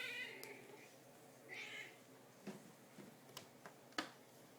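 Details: Hungry female house cat whose bowl has run empty, asking to be fed indoors: a meow at the start and a shorter one near 1.6 seconds, followed by soft taps and clicks.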